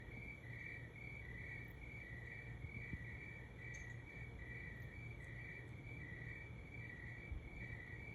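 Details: Cricket chirping at 3 am, short even chirps at two slightly different pitches alternating steadily, about three per second, over a constant low hum.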